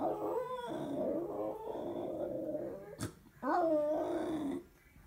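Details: Old female dog indoors howling at an answering machine picking up after the phone rang; long wavering drawn-out howl, a brief click and pause, then a second howl that rises sharply before easing down.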